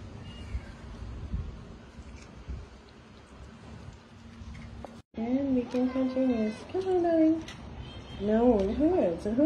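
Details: Domestic cats and kittens meowing at feeding time; after a quiet stretch of low murmuring, a quick run of several wavering, rising-and-falling meows follows, some overlapping, with a person's voice speaking nearby.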